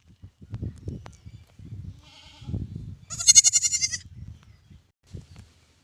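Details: A newborn lamb gives one loud, quivering bleat after a faint earlier cry, with soft low rustling and thumping around it.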